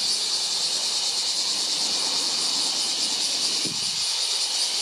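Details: Bear cicada on July 19, sounding as a continuous harsh high buzz with a less distinct pulsing than usual, steady in loudness throughout, plus a brief low swish near the end.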